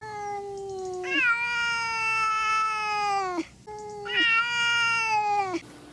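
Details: Domestic cat giving two long, drawn-out meows, each starting with a low note then jumping higher and holding a steady, harmonic-rich tone for about two seconds before dropping off; quiet room background.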